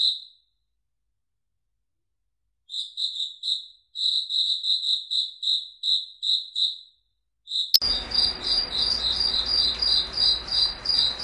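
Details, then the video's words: Foggy forest at night, where crickets sing: isolated groups of clear, shrill pulsed chirps broken by silent gaps, then a sharp click gives way to a fuller chorus of overlapping chirping crickets with a low rumbling background. "Crickets Singing in a Foggy Forest"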